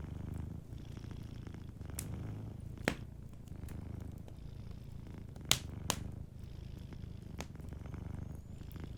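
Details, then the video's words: Soft purring of a sleeping cat near a cozy fireplace: a low, regular rumble that rises and falls slightly, punctuated by a few sharp pops of burning wood, the loudest around the middle. "Warm Fireplace Ambience with a Sleeping Cat 🐱💤Fireplace & Soft Purring"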